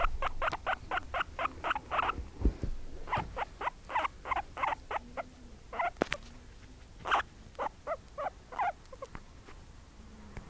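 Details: Two pet guinea pigs, mother and daughter, one white and one brown, kept at home, giving loud rapid repeated squeaks in steady runs of about three per second, pausing, then resuming, with low background hum.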